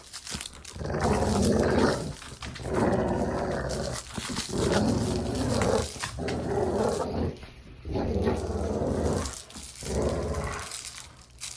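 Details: Domestic dog growling during play, recorded indoors: long rumbling growls lasting one to two seconds each, about five bouts separated by brief pauses, low and throaty with a rough, gravelly texture.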